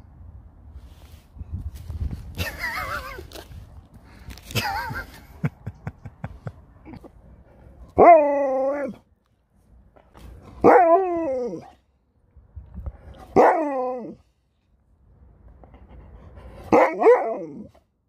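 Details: A dog barks in short, separate harmonic calls, about four of them spaced two to three seconds apart, each dropping slightly in pitch. The opening seconds carry softer rustling and a brief human exclamation.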